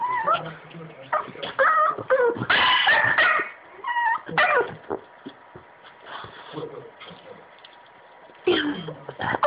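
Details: Boston Terrier whining for attention indoors: high, wavering tonal whimpers that rise and bend, repeated in short bursts with brief yips, mixed with human speech and quieter gaps.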